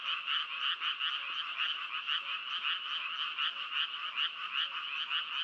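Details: A mass of frogs calls together, producing rhythmic pulsed croaks that swell and dip roughly every second over a constant buzzing wall of sound.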